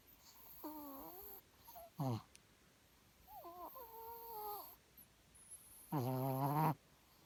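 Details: Pet dog giving several soft, wavering, moaning whines that bend up and down, ending in a louder, longer whine; a brief spoken Korean word and faint room noise are heard.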